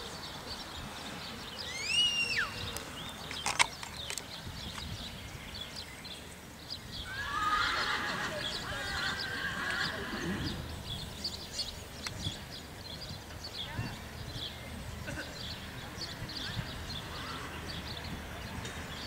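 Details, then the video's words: Prize-winning colt foal sired by Sir Donnerhall gives a short, high whinny near the start that rises and then falls. A fainter broad burst follows midway, over steady outdoor background noise. "Sir Donnerhall hengstfohlen"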